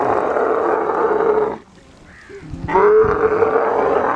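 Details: Kharai camel, the swimming camel breed of the coastal belt of Kutch, Gujarat, calling during mating: loud harsh roaring bursts with a steady buzzing tone, broken by a short quieter gap with low rumbling.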